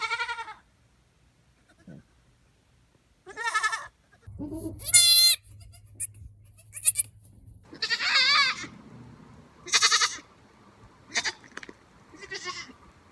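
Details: Goat bleating: several quavering, strongly harmonic bleats, some high and strained, others lower and shorter, spaced irregularly across thirteen seconds with quiet gaps between and a faint low hum underneath.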